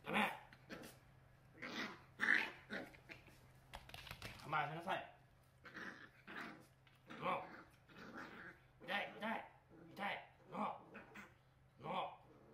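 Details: A male Miniature Pinscher puppy, black and tan, born November 2020, grumbles and growls in short, rough bursts in the morning, angry at having his face touched to clean his eyes, while a woman speaks softly to him.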